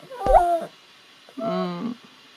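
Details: Maltese dog indoors greeting its owner on returning home: a short high whine that bends upward and levels off, then after a pause a longer, lower, steady whimpering moan.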